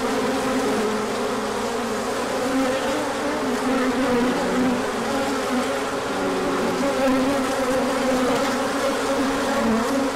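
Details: Honeybees pouring out for an orientation flight once the sun appeared after cold days; steady collective droning of wings, several overlapping buzzy notes that drift in pitch as bees swoop past.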